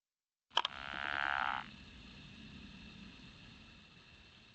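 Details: Pickerel frog (Lithobates palustris) gives its snore-like call, a low rasping snore lasting about a second after a sharp click.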